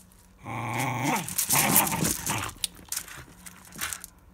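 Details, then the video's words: Fox Terrier named Evie attacking a ball, giving a harmonic growling whine that rises then breaks into rough scuffling noise, with quieter snorts and thuds toward the end. "Fox Terrier Evie Attacking a Ball"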